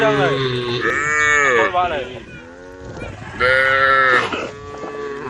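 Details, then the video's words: Tame cows on a road calling the herd, two long harmonic moos about three seconds apart, each loud and sustained with a slight arch in pitch, a faint rougher call trailing between them. "the sound of cows calling the herd"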